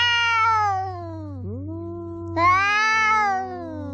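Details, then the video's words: Domestic cat giving loud, drawn-out meows: a long call falling in pitch, a brief dip, then a second bright, harmonic-rich meow that slowly descends, with a steady low hum underneath. "The cat is making a big noise"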